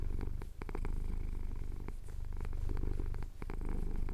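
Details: A male cat purrs contentedly as his chin is scratched, a dense low continuous rumble with brief pauses for breath and scattered soft ticking sounds; Cotswold hills at sunrise, audio captured on a Tascam DR-07X.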